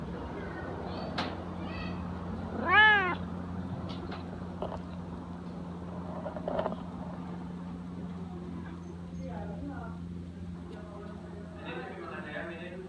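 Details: Lazy Siamese cat just roused from sleep lets out one clear, arched, harmonic meow early on, followed by fainter, softer mews later, against a constant low electrical hum.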